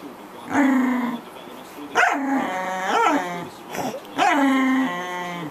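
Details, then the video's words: A noisy pet corgi gives three long, drawn-out tonal whines, each beginning with a yelp and holding a steady, slightly falling pitch for about a second before the next. "corgi making a lot of noise!"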